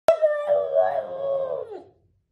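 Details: French Bulldog. A French Bulldog lets out a single drawn-out howl, steady in pitch with a slight waver and rich harmonics. The sound tails off and drops at the end.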